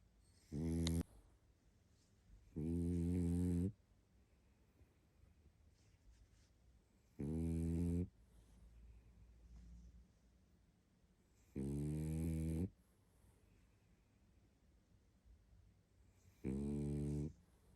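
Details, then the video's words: Tired pug Barney asleep, snoring in a steady cycle: five low, rattling, harmonic snores, each about a second long, roughly every four seconds, with soft breathing between them in a quiet room. "Мопс спит и храпит😴Уставший Барни."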